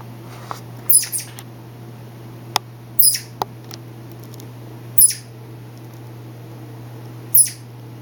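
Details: A pet male southern flying squirrel, late at night, gives brief, very high-pitched chirps in short bursts a couple of seconds apart, apparently talking to himself.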